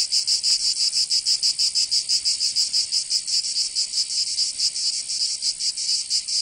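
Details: Cicadas in summer, Provence in the south of France: a high rasping buzz swelling and fading in slow, somewhat irregular throbs of a little over one per second.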